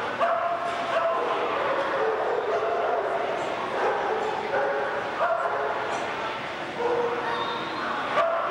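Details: Alaskan Malamutes recorded in Louisville, Kentucky, on March 20, 1990: short barks and yelping, whining notes come again and again over a steady hiss, with human voices mixed in the background.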